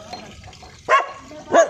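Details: Street dog barking at men collecting scrap; two sharp, harmonic barks about 0.6 seconds apart over a murmur of men talking in Hindi.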